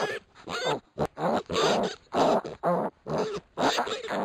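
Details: Pot-bellied piglets a week old scrap with each other, producing loud, nasal, harmonic squealing grunts about twice a second, each call short and clipped, separated by brief silences.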